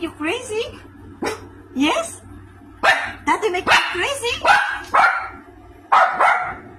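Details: A small female Maltese dog, set off by a strange noise, gives a run of sharp, high barks and yips, with a voice speaking alongside.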